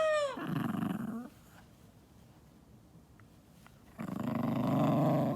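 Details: An angry pet poodle, furious and serious while its older sister laughs: a brief falling whine, then a low rumbling growl, a quiet pause, and a second sustained low growl.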